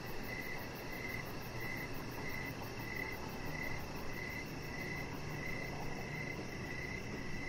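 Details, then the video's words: Crickets chirping outside in the evening near a Chihuahua puppy on a deck lit by decoration lights; evenly spaced chirp bursts roughly twice a second, a fast high pulsing trill, and a constant low hiss. "Cricket Sounds"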